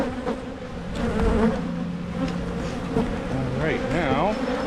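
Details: Honey bees buzzing during hive splits in Michigan, done to try to stop swarming; a steady low drone underlies a person talking, whose wavering voice stands out over the hum near the end.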